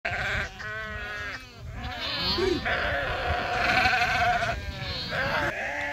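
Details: Sheep swimming in the Krishna River give wavering, harmonic bleats, some long and quavering, others shorter and overlapping, over a steady background of splashing and rushing noise with possible voices.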